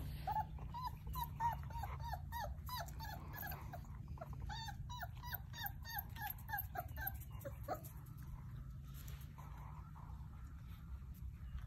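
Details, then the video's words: Basset Hound puppies playing and exploring together, giving a run of high whimpering yips with rising-falling harmonic whines, repeated rapidly for about eight seconds over a steady low hum. "Basset hound puppies"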